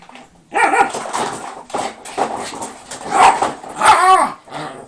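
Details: Indoor Shiba Inu shut behind lattice bars for being too naughty gives a continuous run of drawn-out, wavering, rising-and-falling howls and growls, almost talking, with a few sharper barks.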